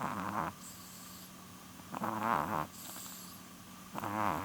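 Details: Female chihuahua nearly twelve years old snoring while asleep: rough rattling snores about every two seconds, each a raspy swell with a soft whistle on top, over a steady low electrical hum.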